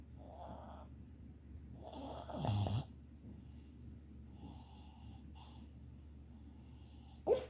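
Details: A red Boston Terrier dreaming in her sleep makes soft, snoring, muffled noises over a steady low hum.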